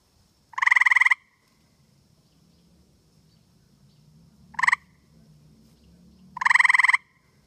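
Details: A male tree frog sitting in a tree on a humid night in Connecticut gives loud, pulsed trills, two long and one short, calling to his mate over a faint low hum.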